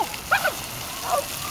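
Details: Sky, a tricolor Shetland Sheepdog, plays with water in Breskens, Zeeland, on 18 August 2011 during a summer holiday. Two short, high yapping barks a moment apart over a steady hiss of splashing water.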